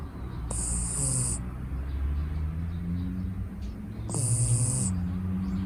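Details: Sleeping six-month-old female red Shiba Inu puppy Mochiko, born in Niigata, snoring: a low, steady rumbling breath with two hissing, airy high-pitched inhales about three and a half seconds apart.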